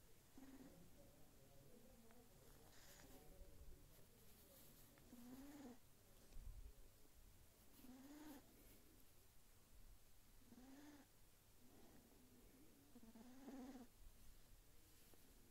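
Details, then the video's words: Sleeping Sphynx kitten snoring: soft, low whistling snores with a slight upward bend, repeating about every two and a half seconds, each wrapped in breathy puffs, in a quiet room. "Sphynx Kitten Snoring While Sleeping"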